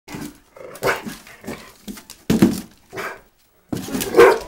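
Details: A Rottweiler attacking a cardboard box gives short, rough growls and gruff bursts in uneven, repeated bouts.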